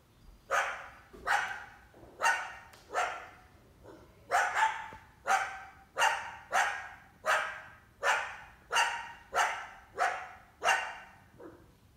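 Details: Female coyote accompanied by at least one big pup, hunting an indoor cat in summer; a long run of rough, abrupt barks, a few weaker ones, coming roughly every second with a short gap partway through.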